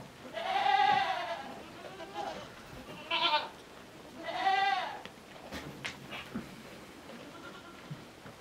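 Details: Miniature goat kid going to suckle from a mother that adopted her late; three quavering bleats in the first five seconds, then quieter shuffling and noise.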